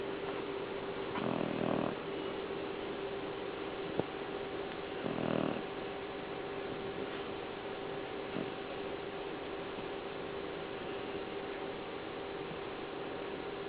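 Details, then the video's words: Pet dog Natasha asleep indoors, two rough, rattling snores a few seconds apart early on, then only a constant low household hum with faint ticks. "Natasha Snoring"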